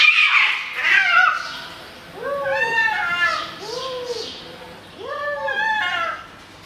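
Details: Angry fighting cats giving arched, moaning yowls that rise and fall, three in a row, preceded by a shrill, noisy screech; faint background chatter.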